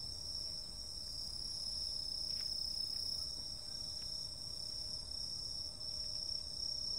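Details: Insects calling on a summer night: a steady, continuous high-pitched shrill trilling drone with a second thin buzzing layer above it, unbroken throughout, a few faint ticks in the background.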